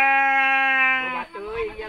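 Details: A sheep at mating time in Sirna Rasa village gives one loud, flat, held bleat of just over a second, followed by softer wavering sounds and faint voices.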